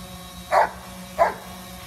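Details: Two quick barks about two-thirds of a second apart from Coco Bear, a Giant Schnauzer, as she chases a drone, a steady low hum underneath.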